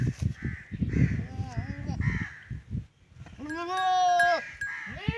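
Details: Goats mating, a first-time Teddy goat male with a female, in a Punjab, Pakistan village. People talk at first, then a long, strong, wavering bleat sounds, followed by a shorter call.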